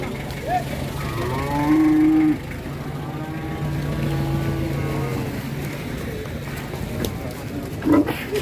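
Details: Cattle in Indonesia rampaging while pulling a plough: a long, low, drawn-out moo with layered harmonics, set against steady background noise and a brief sharp knock near the end.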